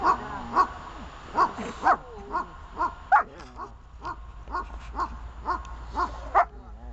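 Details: During a protection-training bark-at exercise, Glemmy the dog gives a string of separate, forceful barks about once a second, with faint whines and yips between them.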